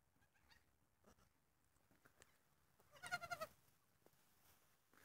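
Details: Pygmy goat kid, one day old, born the day before and kept with its mother and a twin: one short quavering bleat of about four rapid pulses, rising and falling slightly, over quiet faint background rustling.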